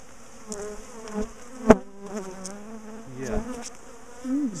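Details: Bees from a big, defensive colony known for ambushing and chasing people down a garden, being dismantled and moved out of a top bar hive; close, droning flight buzzes that rise and fall as insects pass, with sharp knocks and handling noises.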